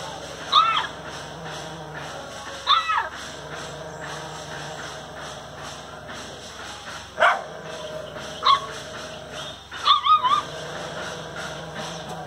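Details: RATHI, a rescued street dog, barks during play: about five separate high, yelping barks spaced a few seconds apart, the last a quick double, with faint human voice and constant background hum.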